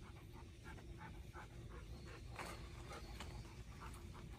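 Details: Golden Retriever, one of two dogs named Kohaku and Ibuki, panting on a short afternoon walk on a humid October day. Quick breathy bursts repeat about twice a second over a steady low outdoor rumble.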